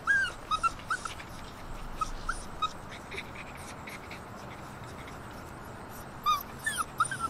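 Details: Six-week-old Alaskan Malamute puppies, with their father present, give short, high whining whimpers in brief bursts with quiet gaps between; recorded 3 September 2019.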